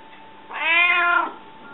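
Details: Hungry domestic cat meowing indoors: one drawn-out, strongly harmonic meow lasting about three-quarters of a second, rising then falling in pitch, with a faint steady hum in the room behind it.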